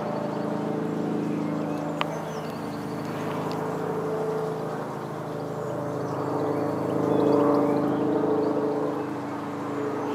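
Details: Among blue California lilac blossoms, a red-tailed bumblebee hums in a strong, even drone rich in overtones, rising in loudness toward the end; a single sharp click and faint distant bird notes also occur.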